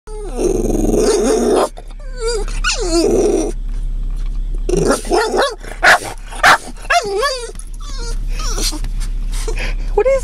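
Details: Boston Terrier in a parked car on a back road in Llano, Texas, reacting to cows resting by a fence: rough growling and harsh vocal bursts, then a run of high, wavering whines and yelps, with engine rumble underneath.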